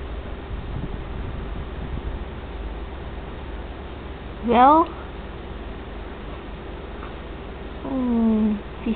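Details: Tiger, a tabby cat living in friendship with Jingy, a White Swiss Shepherd Dog, gives two meows: a short sharply rising cry, then about three seconds later a longer, lower falling one, over a steady low hum.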